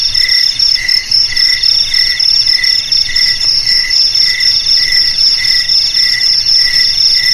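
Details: Several crickets trill together in a bright, constant ring, with a lower chirp pulsing in regular bursts about twice a second under the continuous high buzz.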